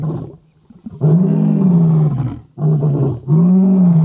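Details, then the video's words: The Avoca male lions roar in chorus on an evening at dusk near a river: three deep, drawn-out, loud, low-pitched moaning bellows in quick succession. "The Avoca male lions bellow in full chorus"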